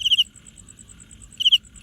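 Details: Wing-rubbing cricket gives a high pulsed chirp, a pause of over a second with only a faint steady high insect ticking, then another chirp and the start of a third.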